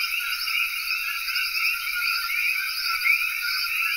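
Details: Many common coquis calling together in Cayey, Puerto Rico; short high chirps and upswept whistles blur into a constant chorus, with one brighter rising note near the end standing above the rest.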